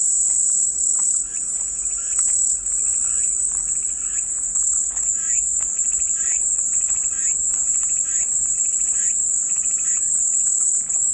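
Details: Cicadas as calming white noise, an unbroken shrill high drone lasting the whole stretch, with soft repeated chirps in the background.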